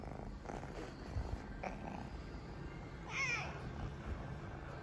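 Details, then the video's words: Kitten purring in a low continuous rumble throughout, with a brief higher meow-like squeak near the middle and light background noise. "Noisy Kitten"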